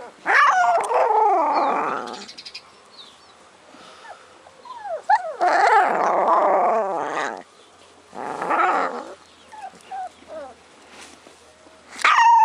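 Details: Four-week-old Alaskan Malamute puppies give bursts of wavering whines, yelps and grumbling growls.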